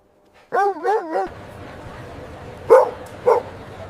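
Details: Dog, said to be a playful puppy on green grass: a short wavering whine-like cry, then two sharp single barks about half a second apart over a steady background hiss; a person praises the dog.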